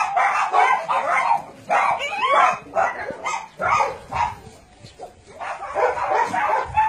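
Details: Dogs kept at a Nonsan, South Korea dog-meat farm and puppy mill, January 2017, bark and yip together in irregular bursts, loud clustered barking that briefly thins out before picking up again.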